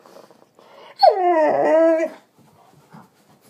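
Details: Indoor female Doberman, upset after her owner worked all day, gives one loud wavering howl of about a second, with a man's voice telling her to get down just before.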